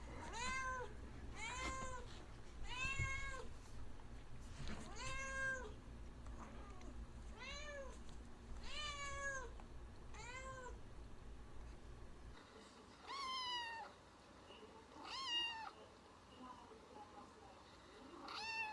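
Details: Domestic cat meows played back, sounding as if the cat is being hurt though it is not: clear arched, harmonic meows repeated about every one to two seconds, then quieter, higher rising-and-falling cries, over low background hum.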